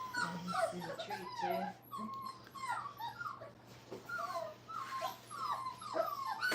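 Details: Brittany puppies, five weeks old, in a training crate, giving thin falling whimpers and squeaky yips in short runs, several pups overlapping over a steady low electrical hum.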